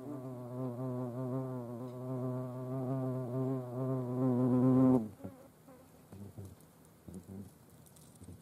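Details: European hornet visiting a feeding place with ants at Dohr in the Eifel, Germany, 28 July 2022; steady, loud harmonic droning hum lasting about five seconds, wavering slightly in pitch, then cutting off into quiet rustling and small clicks.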